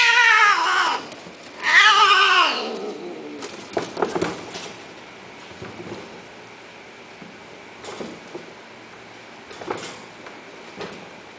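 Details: Cat indoors giving two loud, drawn-out harmonic meows in the first three seconds, the second swelling then sliding downward, followed by quieter knocks and faint scattered sounds.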